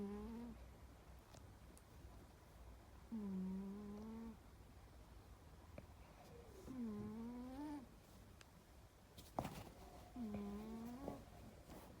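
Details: A sleeping cat snoring indoors. Each breath brings a low, nasal, tonal rasp about a second long that bends slightly upward, returning every three to four seconds over a steady quiet room hiss.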